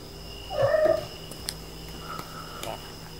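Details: Ragdoll cat Sumomo, a house pet that has lately begun meowing often, gives a short mid-pitched meow with stacked harmonics, then a fainter, softer second meow about a second later; a steady high electronic whine runs underneath.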